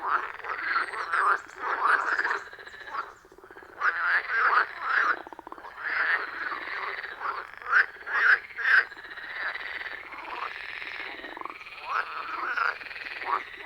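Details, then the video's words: Loud rhythmic chorus of frogs at a wild pond deep in the forest, iPhone 14 Pro with Shure MV88+ microphone: rapid croaks about twice a second, irregular and overlapping, with buzzy trills beneath. "Frog Sounds at a Forest Pond"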